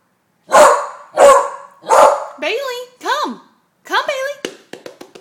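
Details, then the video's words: A 10-month-old female beagle, afraid of balloons, barks at them indoors: three loud harsh barks about half a second apart, then higher yelping, whining notes and short clicks. "Bailey the beagle vs. Balloons"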